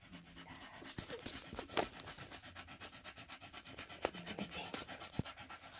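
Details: Staffordshire Bull Terrier with its five-day-old puppies, recorded 1 November 2023 at 21:20, panting in a steady rapid rhythm of soft breathy puffs, with a few sharp clicks and knocks.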